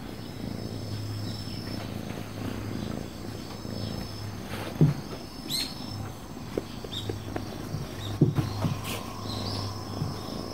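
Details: Affectionate, dog-like calico cat purring, a deep continuous rumble that swells and briefly drops away in waves, broken by a few sharp clicks and light rustling.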